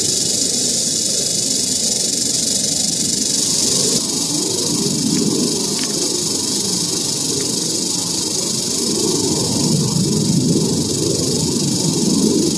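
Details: Eastern diamondback rattlesnake found in Central Florida, recorded with a Panasonic Lumix FZ300 and GoPro Hero 8 Black; a continuous dry, high buzzing rattle hisses without pause throughout, steady and sustained, with some low rustling beneath.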